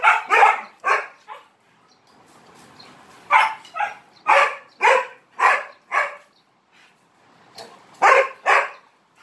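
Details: Dog barking for attention while playing with three Malinois; sharp barks in two quick bursts, three at the start, then a run of five and another pair near the end, with quiet gaps between.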